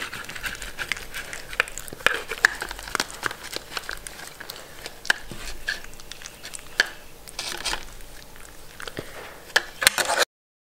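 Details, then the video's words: Sheltie named Mindy at her meal, with scattered crisp crunching and clicking bites, some loud and some soft, in an uneven run before the sound cuts to silence at the very end. "ASMR #2 Dog Eating food (Shetland Sheepdog)"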